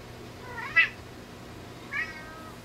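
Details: Indoor play between a two-month-old Lynx Point Ragdoll/Javanese kitten and an adult Applehead Flamepoint Siamese rescue cat: two short, high, bending meows about a second apart over quiet room noise.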